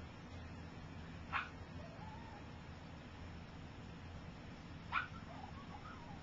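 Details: Gypsy's three-week-old puppies learning to walk give two brief, high squeaky yelps several seconds apart over a low steady background hum.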